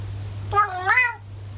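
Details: Orange tabby cat in Japan, talking: two short harmonic meows, the second rising then falling, over a steady low hum.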